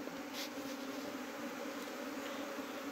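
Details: A bundled bee swarm, brought in at night on the 16th of Chaitra, gives a close, thick continuous buzz. The humming is even and full, with a brief brighter rustle near the start.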